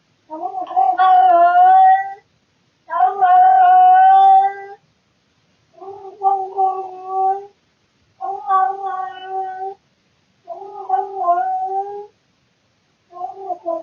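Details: Male house cat indoors at night, caught on a surveillance camera, calling out of boredom: six drawn-out, wavering yowls, each lasting one to two seconds with short pauses between. The later yowls are quieter. The room is otherwise silent.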